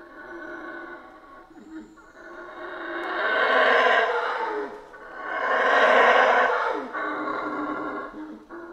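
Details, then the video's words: Howler monkeys in the Central American rainforest howl together: a low droning chorus swells into two loud, rasping roars, each lasting over a second, then fades back to a steady moan. "Rainforest Howler Monkeys Sounds"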